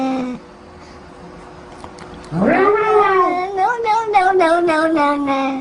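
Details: Pet cat letting out a loud, sustained yowl of about three seconds. It rises sharply at the start, then wavers with a trembling, stuttering quality before trailing off lower.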